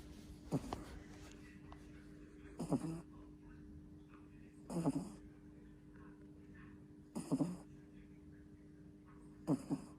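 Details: Sleeping puppy two months old gives loud snores, rough breathy bursts spaced roughly two to two and a half seconds apart over a steady faint indoor hum.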